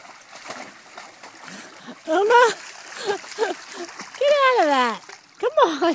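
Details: German Shepherd pup Uma, a young female, on her first time in a creek alongside an 18-month-old male German Shepherd and a 3-year-old Lancashire Heeler; high sliding whines, one long falling cry, over steady splashing water and a woman's coaxing voice.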